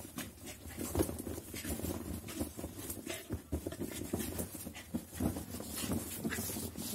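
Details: Rocky, a Labrador Retriever, playing with his bed indoors: quick snuffling, panting breaths and low grunts mixed with heavy rustling and scuffing of fabric, with a brief human voice in the background.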